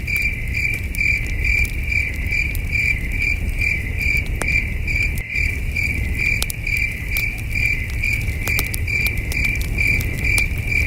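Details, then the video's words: High, rhythmic cricket chirps repeat without pause through a calm night at an outdoor campsite, a crackling campfire adding sharp clicks and one louder snap, with a soft low drone underneath. "Camping Under a Million Stars with Soothing Cricket Sounds"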